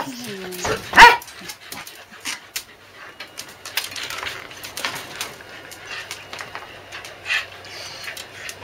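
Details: Corgis at a specialist corgi kennel, Barmy Winds, on a rainy 5 July 2012, acting clingy after days of rain: short tonal whines sliding downward, then a single loud sharp bark, with a person talking softly throughout.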